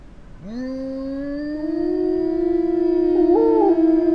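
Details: Eurasian wolf from a small pack in Finnish taiga: a single howl swoops up from low and holds a long, steady, smooth tone, with a second voice joining near the end in a brief wavering rise and fall.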